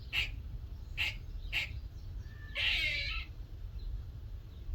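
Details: A little squirrel in a workshop one morning gives three quick barking chucks, then a single harsh, buzzing rasp lasting about half a second. A faint low hum plays beneath.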